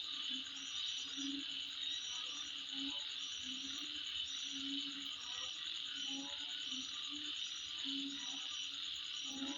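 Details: At midnight, insects keep up an unbroken high ringing buzz with quick repeated ticks, and scattered low croaks sound underneath at uneven intervals.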